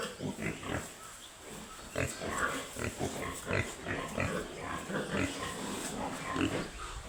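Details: Piglets on a pig farm grunting in quick irregular bursts, short nasal snorts and squeaky notes overlapping against low background rumble.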